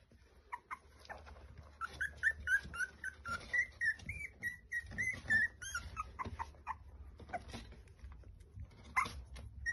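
Basenji puppies give a string of high, whistling whines and squeaks, rising and falling rapidly.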